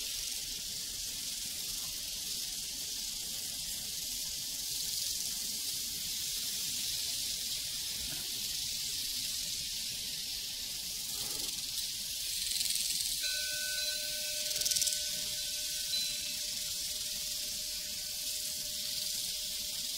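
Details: A continuous high, pulsing cricket chorus fills a prairie; a few soft knocks sound midway and a cowbell rings out clearly toward the end.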